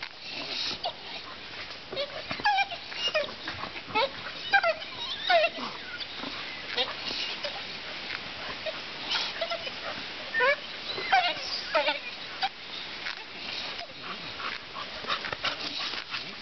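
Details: Whining pit bull in attack training: thin, sliding whimpers, some clustered in short runs, over steady rough background noise and intermittent human voices.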